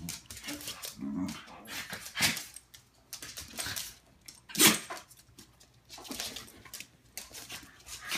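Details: Pet dogs Looey, a Morkie, and Butterball, a Schnauzer, play-fight indoors; Butterball's funny noise comes as rough growly huffs and a few sharp bark-like bursts, separated by short quiet gaps and scuffling.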